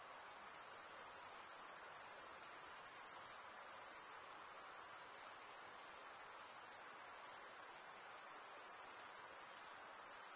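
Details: Crickets chirping: a dense, unbroken high-pitched trill that holds steady throughout, with slight rhythmic swells in loudness and no other clear sounds.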